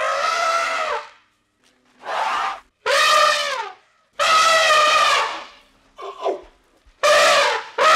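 An elephant trumpets in a series of loud, brassy blasts, each about a second long, some bending up and then down, with short silent gaps between.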